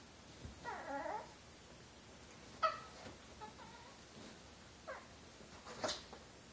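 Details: Year-old female Chihuahua Josie playing and pouncing at a hand moving under her bed indoors; soft whiny talking sounds and brief yips come in scattered bursts over a low room hiss.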